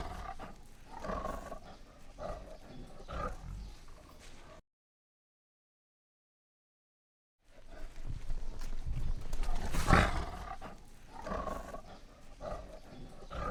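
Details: Lion roaring in deep, rumbling bursts concentrated in the low range, repeated over a few seconds, broken by a sudden silent gap, then resuming with one sharp loud peak near the end.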